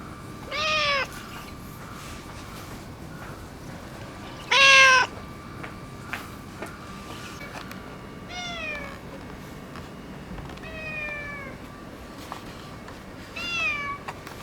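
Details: Boss orange tabby tomcat, affectionate since neutering, lets out two louder bent meows then three softer, drawn-out downward-sliding ones, separated by long quiet gaps and faint clicks over a steady hum.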